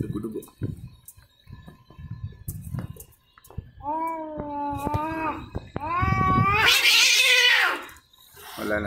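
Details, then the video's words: Fighting cats: after scattered knocks, steady moaning yowls rise into a louder wavering howl that breaks into a harsh, noisy screech, then a short cry at the end. "CAT FIGHTING"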